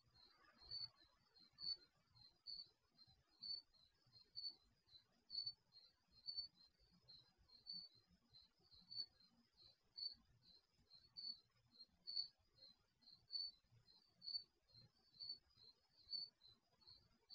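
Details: Crickets chirping at night near a garage, captured by an HD security camera's built-in microphone; a continuous train of thin, high chirps about once per second, fainter echoing chirps between, low murmur beneath.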